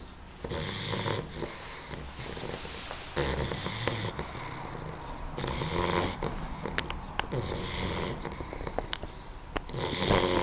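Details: Babs as a puppy, asleep, snoring with rough, rattling breaths in uneven bursts, some short clicking snorts between the longer rasping inhalations.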